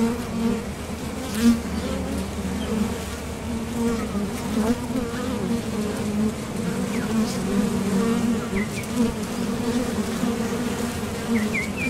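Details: Steady drone of honeybees coming and going at a top bar hive entrance while foraging for nectar, a low continuous hum with passing louder buzzes and faint thin bird chirps in the background.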